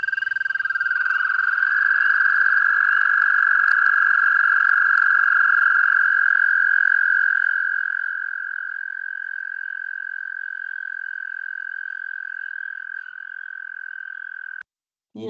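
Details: American Toad giving a very high-pitched, long, sustained musical trill at a steady pitch for about fourteen seconds, softening slightly midway, then cutting off abruptly; played for comparison with the leopard frog.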